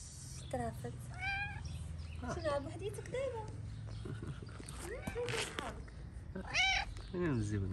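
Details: Homeless street cats in Morocco begging for food: several short, bright meows, some rising then falling, scattered through the stretch, with a man talking to them in English and Arabic and low traffic rumble.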